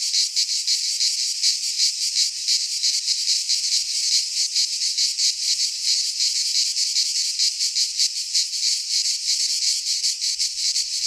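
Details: In a Greek pine forest at midsummer, many cicadas sing together: a continuous high rasping buzz with uneven rapid pulsing, a wall of insect sound and no birds or voices.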